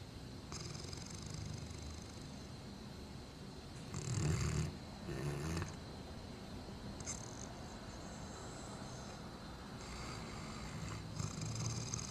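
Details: Great Dane named Tyson asleep, November 2009; low, rough snores come in irregular breaths, two stronger rumbles close together near the middle, with softer hissing exhalations between them.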